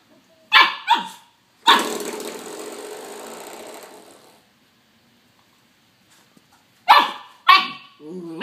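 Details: Young pup attacking a doorstop, barking at it: two quick high barks, then a long rasping scrape or rattle lasting over two seconds, silence, and another pair of yappy barks at the end.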